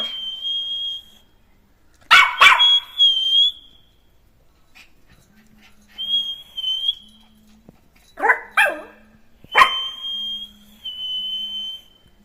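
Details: Jack Russell Terrier puppy Neo, out playing after being freed: a thin, high, steady whistling whine runs on and off, broken by short yappy barks in pairs and a quick double yip.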